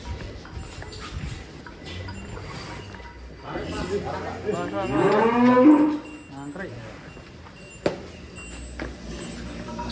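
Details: A large black bull named Joglo, kept for fattening in Indonesia, moos while being led out of its pen. It gives one long, drawn-out, harmonic moo that swells and then fades. Music, men's voices and a sharp knock are also heard.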